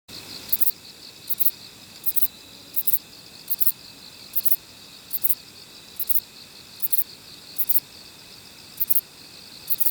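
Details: Kobane-himegisu bush cricket, a short-winged katydid from around a park in Niigata, Japan, calling: paired dry high-pitched buzzy chirps repeated roughly every 0.7 seconds in a steady run, over a faint background insect hiss.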